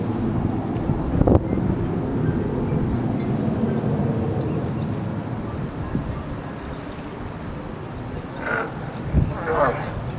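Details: California sea lions on a floating dock by Old Fisherman's Wharf, Monterey, California, 21 March 2013; two short, hoarse barks close together near the end, over steady low harbour rumble and a background murmur.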